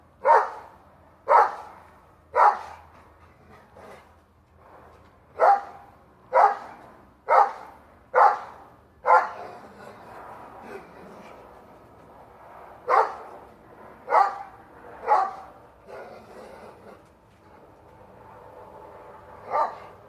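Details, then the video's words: Dog barking up at a squirrel in a plum tree while up on its hind legs: sharp barks in uneven runs near one per second, with a gap midway before another short run and a last lone bark. "Rocky barking at a squirrel on the Plum tree on his hind legs"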